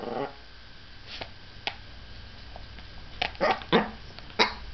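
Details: Princess, a pet dog finding her voice by barking at everything, produces a few short, sharp barks at a distance, mostly clustered near the end and separated by long quiet gaps.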